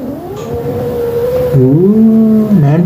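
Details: A grumpy mother cat, annoyed with her kittens, makes a low, wavering, growling moan that dips and rises, held for nearly three seconds, with a steady background hum.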